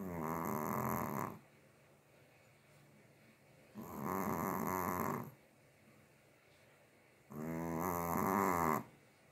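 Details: Snoring Chihuahua, asleep: three rough, buzzy snores each lasting about a second and a half, spaced roughly three and a half seconds apart, with quiet breathing pauses between them.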